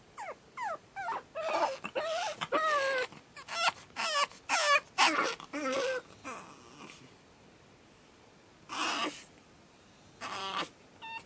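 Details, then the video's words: Second night for Batman the Pug puppy: a fast burst of high, wavering whimpering screams and yelps, then quieter gaps broken by two more drawn-out cries near the end. "Pug Puppy Screaming"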